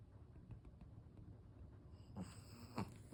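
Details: A sleeping black Pekingese, flat-faced and drowsy, snores with low, rough, snorting breaths, possibly while rolling over.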